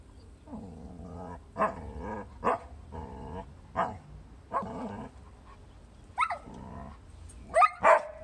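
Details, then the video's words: Chow Chow dog chatting on 4/20/18: a run of short, throaty, harmonic grumbles and moaning howl-like sounds, roughly three a second, ending with sharper rising whines and two high yelping squeals. "alvie chats with chow chow"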